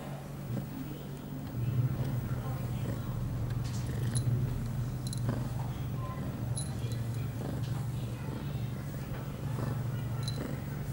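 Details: Pia, an eight-month-old female domestic cat on heat, two hours after her first birth control pill, 23 September 2011; a steady low rumbling purr runs through, with faint scattered clicks and soft background movement.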